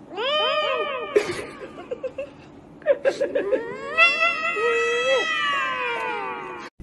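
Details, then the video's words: Cats meowing into karaoke microphones, giving rapid overlapping arched meows, then a long sliding meow that slowly falls in pitch, with short knocks and thumps between calls. "Cats Meowing into Karaoke Microphones"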